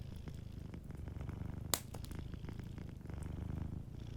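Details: Soft purring of a sleeping cat in front of a warm fire, a low vibrating rumble in steady breath cycles, with one sharp crack and lighter crackling from the flames.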